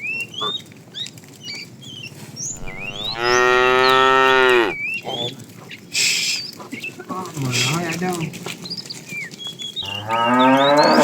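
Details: A herd of tame cows wanders far looking for food. Two long, loud moos are separated by a few seconds of muffled voices and knocks. Small birds twitter in the gaps.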